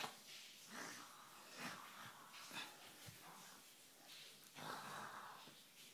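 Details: Siberian Husky Sjusja, lying indoors on her mistress's bed and refusing to leave, gives breathy, wheezing grumbles and whiny groans in several drawn-out bursts, with a faint human voice in the room.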